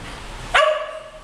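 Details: A single short, sharp bark from one of two English Cocker Spaniels romping playfully on a bed at home, rising abruptly and trailing off in a brief ringing tone over a low background hiss.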